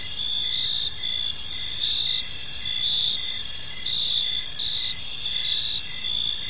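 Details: Park crickets at evening keep up a constant high, ringing chirp, layered bands of sound pulsing in slow waves about every second, over a quiet low hum.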